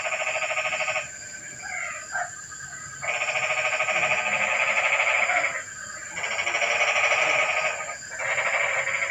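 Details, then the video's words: Frog on a rainy night, breaking the evening silence with long bursts of fast rattling pulses, each lasting one to three seconds and separated by short gaps with softer scattered notes; constant high-pitched background hiss. "Suara kodok hujan meramaikan suasana sepi malam ini"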